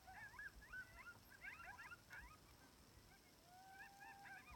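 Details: Chorus of timber wolves, sixteen in the pack, heard from about 700 yards in Wrangell-St Elias National Park, Alaska, during a September 2018 moose hunt; quick yipping bursts and bent wavering cries, then a long steady howl tapering near the end.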